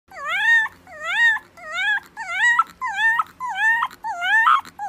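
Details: A puppy whining in a steady series of about seven drawn-out, high, nasal whimpers. Each one rises and then bends, with short pauses between them and a little faint background noise.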